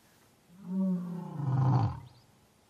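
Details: African lion giving a single deep, rough roar of about one and a half seconds: a harmonic moaning opening followed by a louder, grating second surge, then fading into quiet background.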